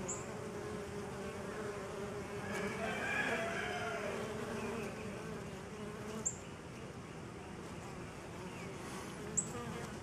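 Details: Massed honey bees on a pollen substitute give a loud even buzz, swelling briefly early on, with a few sharp high chirps and clicks scattered through.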